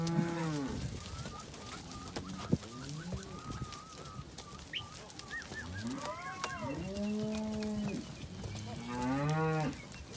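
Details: Simbra cows with calves, from a group of 70 pairs, give repeated arching moos at moderate distance, some short and some drawn out, while small birds chirp and twitter throughout.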